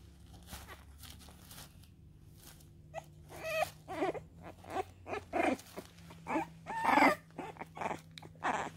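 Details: French Bulldog puppy whimpering indoors near its mother, giving irregular short high whines and squeaks spaced about a second apart over a low hum and soft rustling.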